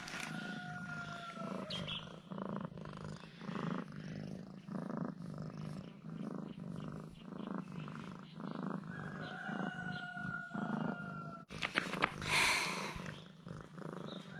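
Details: A domestic cat purring while acting affectionate and cute after eating two of its owner's sausages; a low, steady rumbling pulse runs throughout, with brief thin tonal whines and a burst of rustling near the end.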